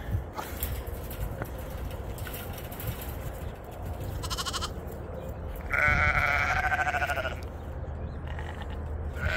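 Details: Sheep with lambs on a homestead in the melting snow: a brief faint bleat near four seconds, then a loud, strongly quavering, vibrato-laden bleat around six seconds, amid low rumble and scattered clicks.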